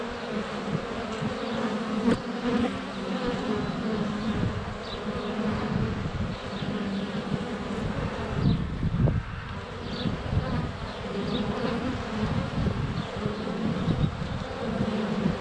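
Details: Honey bees crowding the air at the hive entrance during sunny February weather, GoPro placed under a foot from the hive; thick, even buzzing throughout, with bees bumping the camera and faint distant birdsong.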